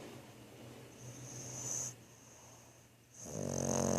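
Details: French Bulldog Thor snoring in his sleep: a soft rising wheezy breath, a brief pause, then a loud, gravelly, vibrating snore filling the final second.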